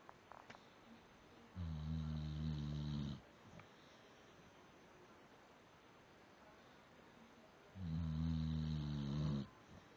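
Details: A sleeping dog snoring: two long, low, droning snores of about one and a half seconds each, about six seconds apart, with a steady background hiss between them.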